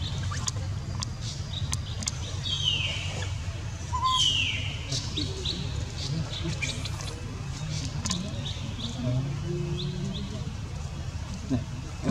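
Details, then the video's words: Newborn baby monkey, neglected by its mother, crying: two shrill squeals sweep steeply downward in pitch, one near the third second and another a second later, over a constant low rumble and scattered sharp clicks. "Newborn baby monkey crying when mom not care on him"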